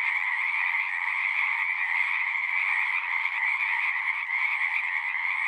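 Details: Massed frog song: an even, pulsing wash of overlapping croaks at a steady mid-high pitch, unbroken throughout, with no birds, people or other noises.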